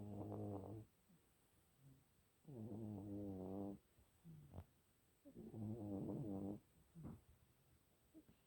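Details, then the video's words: Pet cat snoring: three buzzy, harmonic-rich rasping breaths, each about a second long, repeating roughly every two and a half to three seconds, with quiet pauses and faint soft clicks between them. "snoring cat"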